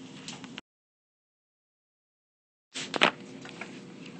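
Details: Brief clicks and mechanical knocks with a stretch of dead silence between them; no animal voice.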